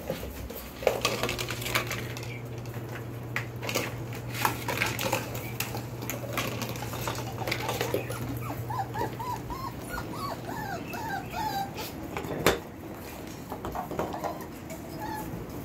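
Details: Belgian Malinois puppies, four weeks and four days old, born 26 September 2021, whimper in thin, high whines that arch up and down in quick runs, mostly in the second half, over a steady low hum and light clatter indoors.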